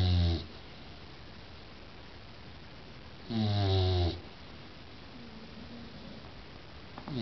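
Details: Sleeping Bulldog snoring: two loud, low, rasping snorts of under a second each, about three seconds apart, with a quieter wheezy breath between them and another snore starting at the end, indoors.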